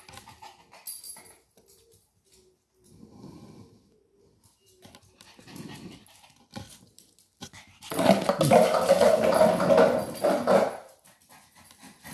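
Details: Maltese named Sora playing with a plastic bottle to relieve stress, indoors. Soft scattered huffs and rustles, then a loud, rough, harmonic growling stretch of about three seconds, with quiet pauses around it.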